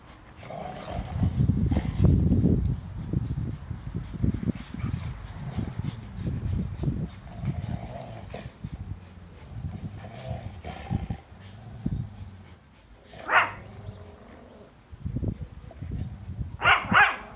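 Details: Belgian Malinois puppy playing with a Rottweiler: low rumbling growls and grunts come in dense bursts through the first half, easing off, then a few sharper higher yips or snaps near the end, with rustling and scuffling of play.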